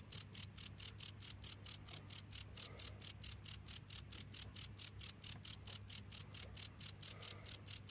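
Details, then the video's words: Crickets keep up a relentless, evenly ticking chirp, thin and very high, roughly four pulses a second, against a faint steady low hum. "the sound of crickets"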